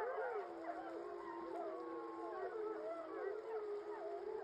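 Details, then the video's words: Wild gray wolves of a 15-member pack in Yellowstone give a victory howl the morning after killing and eating a large male buffalo; many overlapping smooth, wavering howls rise and fall together in a dense continuous chorus. "Yellowstone’s Wapiti wolfpack is a killing machine! #2 (Victory Howl)"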